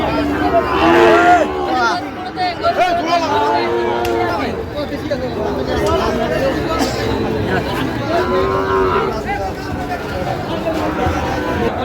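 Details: Sahiwal cattle at Ambari cattle market on Monday, 18 August 2025, where a Barishal farmer is buying bulls: repeated drawn-out moos from several animals, rising and falling in overlapping arcs, over constant crowd chatter and voices.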